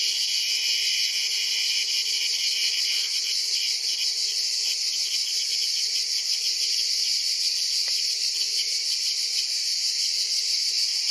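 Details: Cicada orni, the ash cicada, seized as prey by a praying mantis; unbroken shrill grating drone, steady in loudness and finely pulsed throughout, with no other clear sounds.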